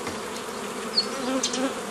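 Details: Honey bees humming during the old-style making of nucleus colonies from a forager swarm, 15 May 2018; a continuous low buzz from many bees with brief higher passes of single flying bees.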